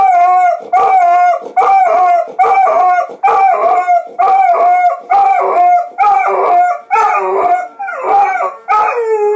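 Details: Steady series of wavering howls from a dog accompanying a siren, each burst lasting under a second and repeating regularly over a sustained tone, growing rougher and lower toward the end.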